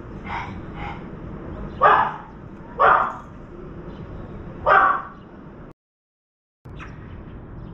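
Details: A puppy barking at birds visiting a veranda: several loud, sharp barks spaced one to two seconds apart, with softer yips between and a brief silent gap.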